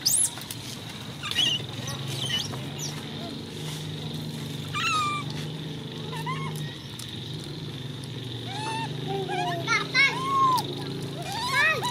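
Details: Coco, a baby monkey, gives repeated high squeals in arching and falling sweeps, scattered irregularly over the stretch, above a steady low hum and murmuring human voices.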